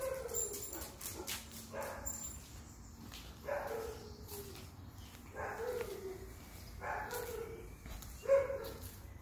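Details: Rudy, a male setter guarding a summer house by barking at people and dogs, gives about six short, harmonic, howling barks spaced a second or two apart, with a man's voice speaking between them.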